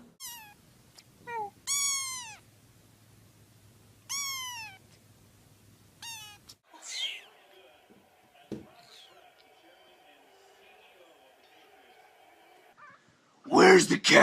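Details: Domestic cat: several short, high, thin mews that rise then fall, given in small bursts over six seconds, followed by music, a sustained tone and a loud clatter at the end.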